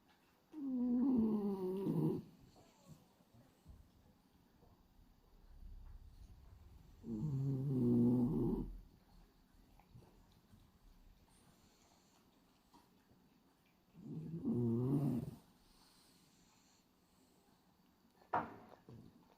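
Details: Hachi, a male French Bulldog with pied black-and-white coat, snoring in his sleep with tongue flapping: three rasping, buzzy snores about every seven seconds, each lasting over a second, followed by a short sharp noise near the end.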